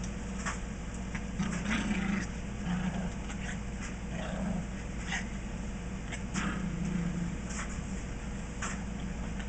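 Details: Chihuahua and Maltese playing together at a house: low, rough growling murmurs come in short bursts every second or two, with scattered soft clicks and a steady hiss underneath.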